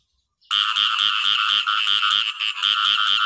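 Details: Frog starting up after a moment of silence, then croaking steadily. The calls are harsh, buzzy pulses repeated about four times a second.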